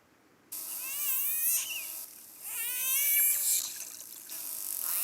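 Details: Captive dolphin imitating the whale song it hears over loudspeakers in the stands during shows: wavering, warbling tonal glides and squeaky rising sweeps in short phrases over a hissy high background and a steady electronic tone.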